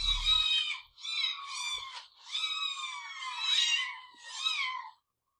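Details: Cat meowing in a long, wailing series of five drawn-out, harmonic-rich cries, each rising then falling, separated by brief breaks; a short low thump at the start, otherwise quiet indoor background.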